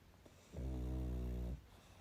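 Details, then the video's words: A pug asleep gives a single deep, buzzing snore of about one second, steady and low-pitched, set against a quiet indoor background. "Мопс и сон😴Храп.Мопс-ребёнок"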